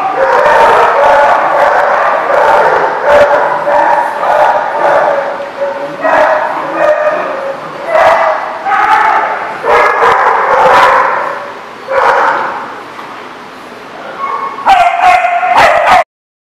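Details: Dogs at a dog facility called The Barking Lot, recorded 28 March 2014, giving loud, repeated barks and yips that overlap almost continuously for sixteen seconds before cutting off abruptly.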